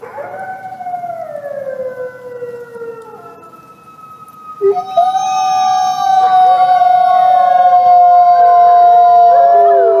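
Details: Grey wolves whining and howling. A long falling tone fades into quiet, then several voices enter loudly and hold steady, overlapping notes at slightly different pitches to the end.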